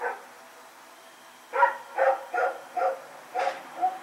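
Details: Rex the dog barking while running around at night, recorded September 21, 2018: one bark at the start, a quiet gap, then five sharp, mid-pitched barks in quick, uneven succession.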